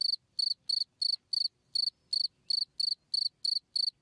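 A cricket gives bright, high chirps, each a quick burst of a few pulses, repeated about three times a second.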